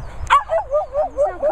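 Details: Dog at a training and boarding kennels in the Worcestershire countryside, playing with other dogs: a sharp yelp followed by a string of rising-falling whines repeated about every fifth of a second, with faint background noise.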